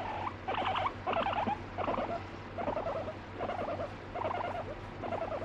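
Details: Pet guinea pig scolding and biting when petting stops; uneven series of burbling, chattering bursts with a few squeaky notes, spaced under a second apart, over steady low hum.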